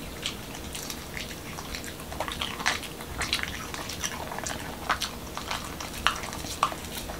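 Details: Indoors in Washington DC, a male Pembroke Welsh Corgi named Momo chews a whole wheat taco shell with cucumber and ground beef, giving a steady run of sharp crunching clicks, roughly two bites a second, over a quiet room hum.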